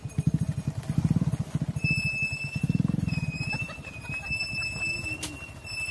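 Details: On a farm, mother cows go into the barn and their calves wait outside; two short, throaty lowing bursts are followed by quieter rumbling, with steady high bird whistles behind.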